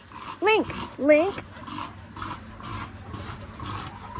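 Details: Linc, a young Australian cattle dog puppy, playing with bigger puppies in a paddock: two short, high, arching yips in quick succession, then quieter background rustle and outdoor noise.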